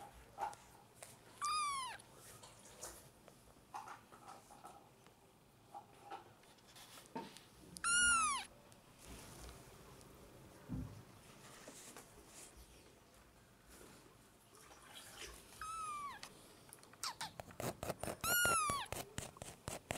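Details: Newborn kittens, five four-week-old litter-mates, mew indoors during lunchtime bottle and spoon feeding, fighting for milk: four high, thin cries that arch up and then slide down, spaced several seconds apart, with clicking and handling noises between.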